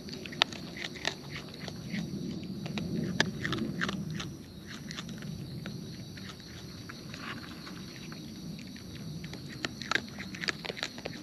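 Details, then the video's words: Wild raccoons eating close up, with natural chewing: irregular crisp clicks and wet snaps scattered through, over a soft low rumble that swells in the first seconds and a steady faint hiss. "Wild Raccoons & ASMR Chewing Sounds"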